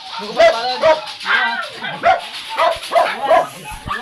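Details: Dark chocolate-liver Shih Tzu at a kennel in Manaoag, Pangasinan, during stud service, giving high, sharp yips and whimpers repeated roughly twice a second, with human voices underneath.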